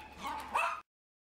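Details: A Miniature Poodle at an SPCA shelter, awaiting adoption after being found severely neglected, gives a single short yip-like bark with a bright rising tone, preceded by a low murmur and cut off abruptly.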